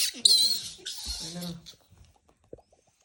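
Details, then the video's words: Baby monkey that likes to purse its lips while screaming, giving two harsh, very high shrill screeches over the first one and a half seconds, then near silence with a few faint clicks. "Monyet suka monyong monyong teriak, sound of baby monkey scream"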